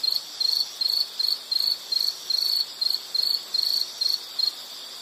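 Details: Pulsed insect chirps from a calming nature-sound recording, short high trilled bursts repeating roughly two to three times per second in a regular rhythm over a soft hiss.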